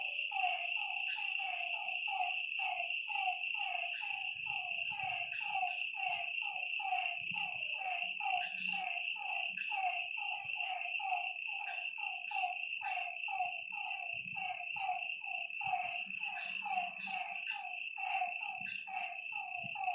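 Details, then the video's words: Lakeside frogs at night give a thick, overlapping chorus of quick repeated croaking notes over a continuous shrill insect hum, with a high intermittent trill and faint low thumps. "Lakeside night creatures and frog sounds"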